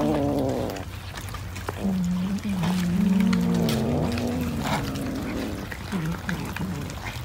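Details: While eating fish, a cat utters long, low, wavering moans that slide up and down over several seconds, with short breaks and a constant low background hum.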